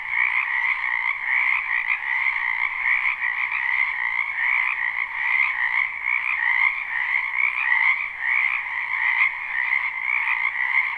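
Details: Many frogs croak from a spring wetland behind a house in a live, unlooped recording: a dense, unbroken chorus of overlapping trilled croaks in two steady bands, middle and higher pitched, with no other clear sounds.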